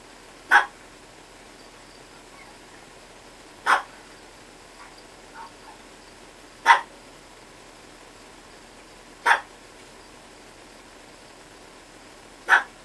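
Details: Lyovka, a two-month-old Chihuahua puppy, gives five short, sharp, high yips spaced about three seconds apart, each a clipped bark standing out against a quiet, steady room hiss.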